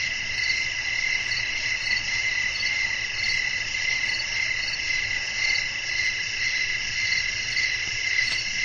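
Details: Nighttime chorus of crickets with wind in the background: continuous shrill, high-pitched trilling in stacked layers, beating in soft pulses about twice a second, with a faint low rumble underneath.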